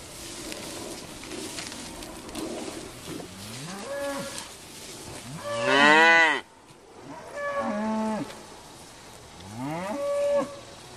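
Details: Grazing cows lowing: four harmonic moos, the first rising then falling, the loudest near the middle drawn out and bending down, the later two shorter with a level tone, over steady outdoor background hiss.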